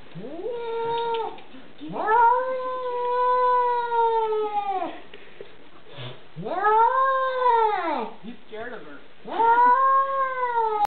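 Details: House cat pouncing at a window to get at a dog outside: a run of loud, drawn-out yowls, each rising then falling, four in about eleven seconds, with background music.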